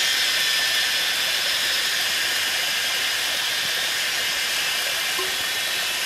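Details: Kaempfer cicadas singing together at 17:52 on 19 May 2016 by a small hillside waterfall on old Route 106, Pinghe Village, Taiwu Township, Pingtung County, Taiwan: a steady, high, hissing drone without pause.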